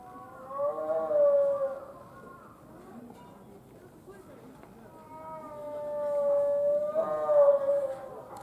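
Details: Gibbons quarreling at Tama Zoological Park in Tokyo, Japan: two bouts of loud, sustained tonal hoots with slightly wavering pitch and rich overtones, the first near the start and the second swelling again in the latter half.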